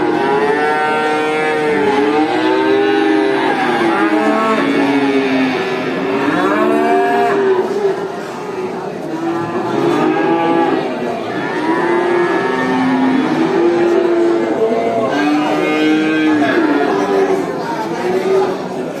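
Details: Many cows at a traditional animal market mooing continuously, overlapping long harmonic moos rising and falling, several voices at once, with a dense crowd-like hubbub underneath.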